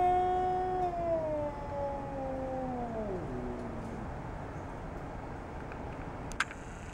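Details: Jasper, a fat domestic cat, squaring off with a neighbourhood cat; a sustained tonal yowl that holds steady, then slides downward in steps and fades out, followed by quiet background and a brief click.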